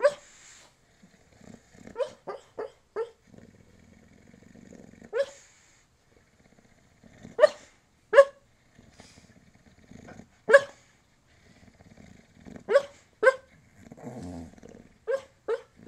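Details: Bulldog barking in its sleep while dreaming: about thirteen short, muffled woofs spread irregularly over sixteen seconds, some in quick pairs and triplets, with soft snuffling breaths between them.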